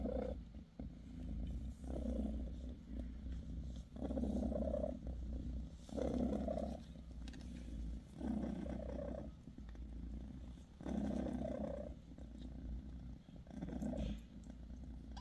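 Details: A British Shorthair mother cat, Bassy, purring steadily as she massages her kittens; rhythmic low rumbles rise on each breath about every two seconds, with light scratching and rustling in between.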